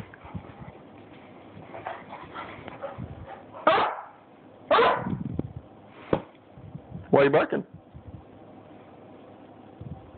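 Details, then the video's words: Buckly the Beagle, a pet dog being a little crazy, lets out four loud sharp barks spaced a second or two apart, with a person talking quietly in between. "Buckly the Beagle being a little crazy"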